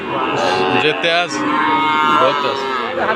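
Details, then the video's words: Friesian and Sahiwal bull calves at Ambari market in Dinajpur, Bangladesh, 27 September 2024; short rising and falling moos follow one another over a busy market hum, voices and music underneath. "ফ্রিজিয়ান ও শাহীওয়াল ষাড় বাছুর গরুর দাম।। আমবাড়ী হাট ,দিনাজপুর"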